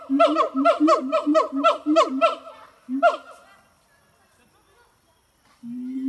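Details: Siamangs Harry and Mila sing at Zoo de La Fleche on a hot August morning, a fast run of rising hoots repeated about four per second over low booms, then a pause and one deep resonant boom.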